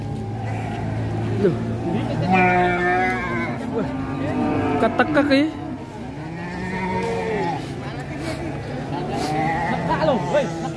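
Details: Calf on the rampage gives a drawn-out, harmonic moo in the middle stretch, with men talking over it and music playing in the background.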